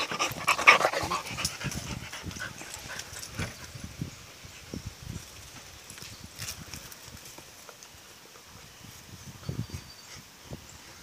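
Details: Playful Rottweiler mix pup of four months wrestling her collie mix mom; a loud breathy burst opens, followed by irregular short puffs of panting, about two a second, fading quieter with brief rustles.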